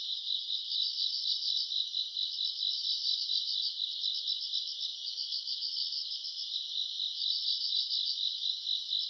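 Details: August summer-night chorus of grass insects: many callers blend into a continuous high, shrill trill that pulses rapidly and evenly, with a fainter upper shimmer above and a quiet background otherwise.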